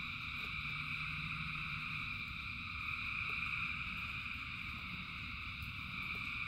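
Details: Thousands of frogs singing in the rain: a steady, dense chorus of overlapping trills in several high bands, with a low rumble of rainfall underneath and scattered sharp drip-like ticks.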